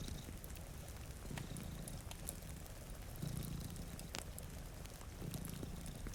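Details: Two cats sleeping in front of a rainy window beside a fireplace; a quiet, low rumbling purr surfaces in brief swells, partly masked by steady crackling and pattering rain.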